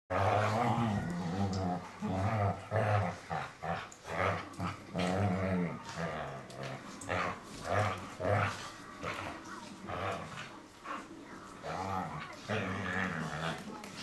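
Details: Whippet BooBoo wrestling in play with her big brother: rough, low rumbling growls come in rhythmic bursts, swelling and breaking off roughly every half second to second, with scuffling noise between.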